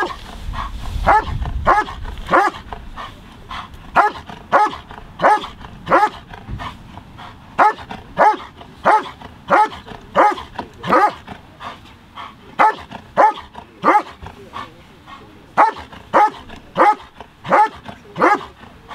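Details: Dog barking at a 2023 FCI IGP working dog trial, the Norwegian championship; loud harmonic barks repeated steadily, about one and a half per second, throughout.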